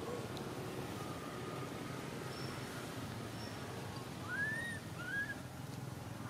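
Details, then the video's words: Stuck high in a tree, baby Temple Monkey Jinx in Cambodia cries for its mother: two short arching whistled wails in quick succession toward the end, above low traffic-like rumble. "The Sound Cry Terrible Up On The Tree From Baby Jinx Lok Very Scarify Need Mom Help Bring Back."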